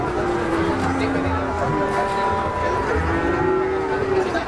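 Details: Cattle lowing: drawn-out, low moos with layered harmonics, one running through the first half and another rising near the end, over constant dense background noise.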